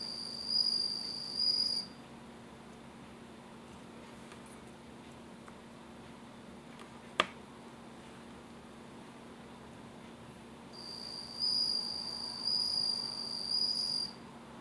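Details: Bell cricket raised in captivity, a clear high tinkling trill lasting about two seconds, then a long quiet gap before another three-second ringing burst, low indoor hum underneath.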